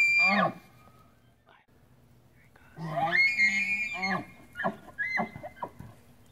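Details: Bull Tule elk with his harem of cows during the September rut, San Luis National Wildlife Refuge, central California, 8 September 2016: a falling bugle tail, then a high, sustained whistled bugle followed by a series of short, deep grunting chuckles.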